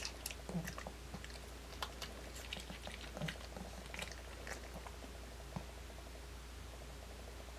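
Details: A dog named Kimdungi crunching on apple pieces, sharp wet snaps and softer mastication at an uneven pace over a constant low background hum.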